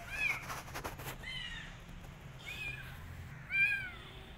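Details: Rescued street kitten that wants to go back to the streets and refuses food, giving three short arched meows, one near the start, one mid-clip and one at the end, over low background hum.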